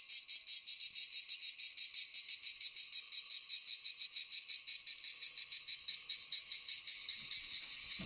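A cicada sings a harsh, high buzzing song broken into rapid, steady pulses.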